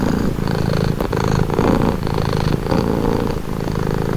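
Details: Domestic cat purring steadily, a calming sound: continuous low rumbling vibration with a brief faint click near one second, the rhythm swelling and easing with each breath.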